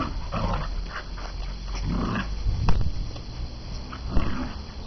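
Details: A pet dog described as crazy growling: low, rumbling growls in short bursts at irregular intervals, strongest near the middle and end, with steady background hum.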